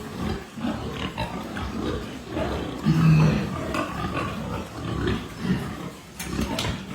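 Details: Pietrain pig on a hog farm, giving low, rough grunts in irregular bursts over a steady murmur of farm background noise.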